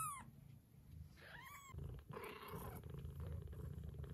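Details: Mother cat purring as her Scottish straight and lop-eared kittens nurse. A steady low rumble fills the clip, with a brief high kitten meow at the start and a short wavering cry partway through.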